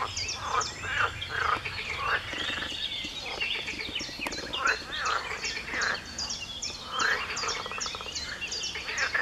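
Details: A dense frog chorus of rattling, pulsed croaks overlapping in bursts every second or two, recorded in a garden at 4 a.m. on 23 June 2019.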